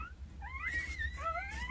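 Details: Newborn Jindo pups, two days old, nine in the litter, cared for by their mother Sarang, whine in overlapping rising and falling squeals, several voices crossing at once, against a faint low background hum.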